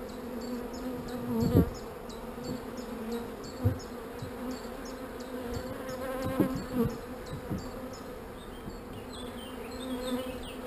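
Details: Steady drone of a honey bee colony at an opened hive, layered with a long, regular string of high chirps about three per second and occasional thumps of frames being handled.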